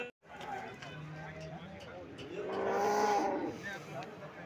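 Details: Cows at the Alephata cattle market on 21 March 2024, where about two hundred cows are shown for sale; one steady drawn-out moo rises over the busy market murmur in the middle of the clip.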